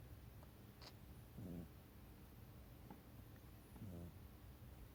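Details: Sleeping house cat Mikan, snuggled at someone's feet, gives two low grating snores about two and a half seconds apart, with a faint click between them and a soft hum behind.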